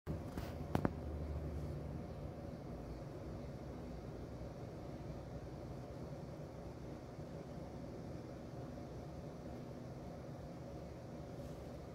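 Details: Low steady room hum with a couple of brief handling knocks near the start and no chirping or other animal sound.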